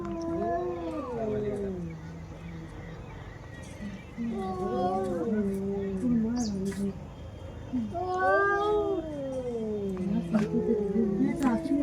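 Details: Two female domestic cats fighting: drawn-out, wavering yowls with rising and falling harmonic bands, overlapping in bursts around 1, 5 and 9 seconds, with a low steady hum and faint clicks.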